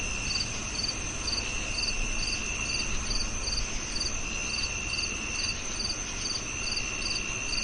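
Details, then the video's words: Steady cricket chirps, shrill and evenly spaced at roughly two per second, laid over a continuous high-pitched hum and a faint low rumble. "Sound of Cricket"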